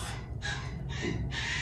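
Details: Night crying from Winter, a female Poodle puppy recently home from her breeder: three breathy, noisy wails with a faint tonal edge, each lasting about a third of a second, separated by short pauses over a low hum.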